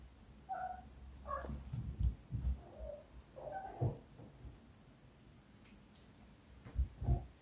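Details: British Shorthair cats at play indoors: a few short, high, chirpy meows, brief tonal squeaks spaced a second or two apart, mixed with soft low thumps and bumps from the play.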